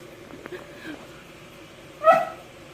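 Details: Pet poodle puppy whimpering to ask for treats: one short, high, tonal whine with clear overtones near the two-second mark, after quiet room tone and a few soft faint noises.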